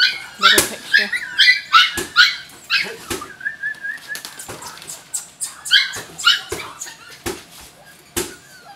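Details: Jack Russell Terrier puppies giving short, high yelps and whines in bursts of two or three, with gaps of quiet between them, a thin whimpering squeal in the middle, and scattered knocks and handling noises.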